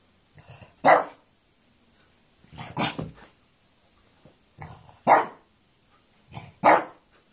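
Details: French Bulldog quarrelling indoors, giving four loud, harsh barks spaced about two seconds apart, each preceded by a low grumbling growl, with quiet pauses between.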